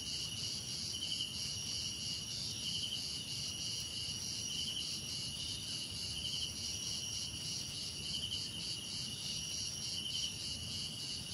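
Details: Crickets in a relaxing nature-sound mix that also holds cicadas, other insects and birds. Steady layered high trilling bands with a chirp pulsing every second or so, over a soft low rumble of background noise.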